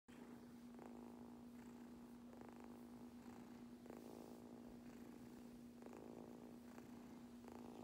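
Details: Kitten purring steadily while being brushed indoors, a continuous low drone under repeated soft rasping brush strokes about every second.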